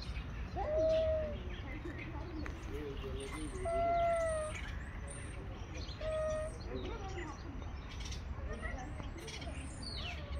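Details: Street cats, two males squaring up to fight, give three short, strained yowls in ten seconds, each a steady tonal wail, while small birds chirp and twitter high above and traffic-like rumble fills the background.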